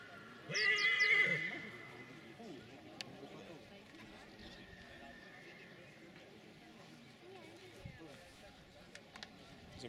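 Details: Silesian stallion neighing once, a loud shrill whinny of about one second with a shaky high tone, followed by quiet background and men talking in Polish.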